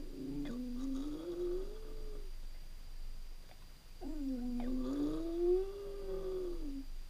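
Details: Jack Russell Terrier left home alone indoors for a few hours; two long, quiet, wavering howls, each sliding slightly upward and then holding steady, separated by a short pause in a small room.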